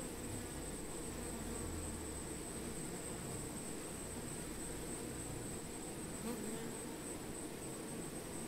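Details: Honey bees among plants, a dense, steady low hum of many wingbeats with no pauses, under a thin constant high-pitched tone that runs through the whole stretch.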